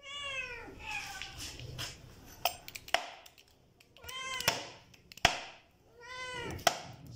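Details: Hungry stray kittens eating food meow repeatedly. Three clear, drawn-out, tonal meows come several seconds apart, with sharp clicks and knocks from eating in between.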